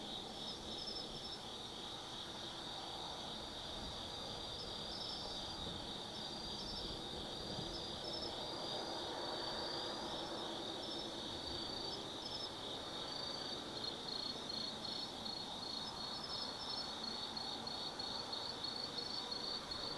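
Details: Autumn-night insects in the forest at Tsukimi no Mori, Gifu Prefecture, Japan, overlooking the Nobi Plain from 180 m: layered high ringing trills pulsing steadily throughout, with a few sharper chirps above and low distant hum beneath.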